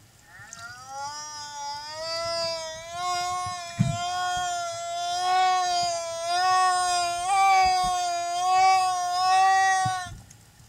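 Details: Humpback whale singing as an escort beside a mother and her calf at Silver Bank, Dominican Republic, April 2015: one long, wavering moan rich in overtones, held for about nine seconds, with a few sharp knocks partway through.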